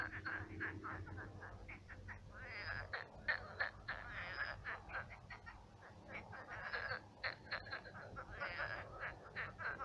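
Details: Night chorus of numerous frogs in a shallowed pond now a marsh; stuttering, rattling croaks repeat quickly from several callers at once, swelling and easing over a faint low background hum.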